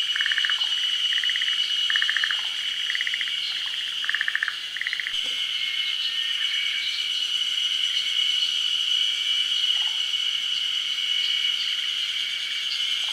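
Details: Forest green tree frog, a species endemic to Japan, calling at a midday spawning on branches above still water during the rainy season. Short pulsed, rattling bursts repeat through the first five seconds. A steady high insect drone runs throughout.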